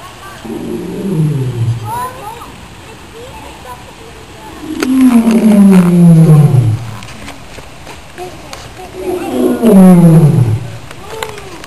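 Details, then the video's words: Lion at the Rio Grande Zoo roaring: long, deep moaning roars that slide downward in pitch, two main bouts separated by quieter stretches, with faint background hum and a person's voice. "Lion Roars"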